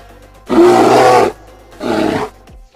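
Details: A bear roars when extremely angry, giving two harsh, rasping growls, a long one followed by a shorter one.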